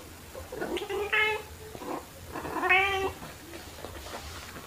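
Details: Domestic cats, black cat Pepper and tabby Kofi, indoors while playing with fluffy toys, filmed March 2021 on a phone with a mini shotgun microphone; two clear harmonic meows about two seconds apart, each rising then falling, over a low hum.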